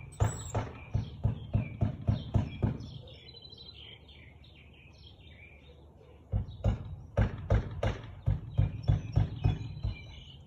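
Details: Two bouts of fast, repeated barking from a Siberian Husky, 13 March 2021, 4:17 pm, each bout a dozen or so sharp barks separated by a short pause, with birdsong chirping behind.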